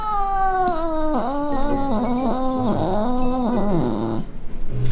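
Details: Ragdoll cat vocalising while being bathed indoors: a long, drawn-out meow that slides downward, then breaks into wavering, wailing rises and falls for about three seconds before stopping short, with a person's voice close by.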